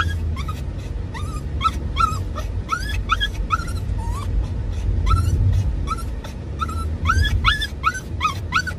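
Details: Dachshund-Toy Poodle mix (Doxiepoo) riding in a car on the way to motorbike maintenance, excited and courting while chasing its owner; rapid series of high, rising whiny yips, about two per second, over a steady low engine rumble.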